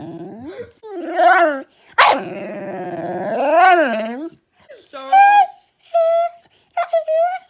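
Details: Young puppy making funny noises: loud, wavering, whiny howls with a harsh, growly edge, rising and falling over several seconds, followed by shorter yelping whines in quick bursts.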